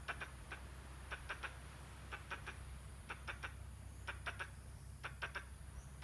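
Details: Squirrel making strange noises while gesturing: sharp, dry clicking notes in quick clusters of two to four, repeating roughly once a second, over a steady low hum.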